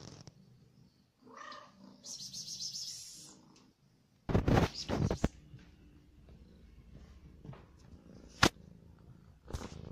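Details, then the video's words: Hungry domestic cat purring while eating: a low, soft rumble runs under the clip, with a short tonal mew early on and sharp clicks and crunchy chewing noises throughout. "صوت القطة وهي تأكل"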